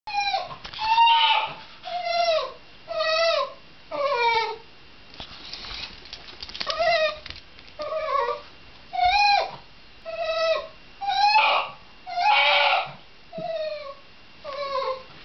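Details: Shiba Inu giving a long run of harmonic, drawn-out whining cries, each bending downward in pitch, repeated roughly once a second with short quiet gaps between them in a small indoor space.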